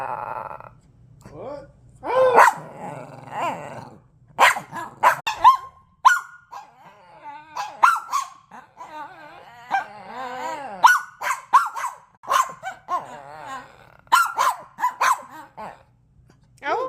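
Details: Dogs in a barking contest: repeated sharp barks and drawn-out howling, whining yelps rising and falling, mixed with growls, over a low steady hum.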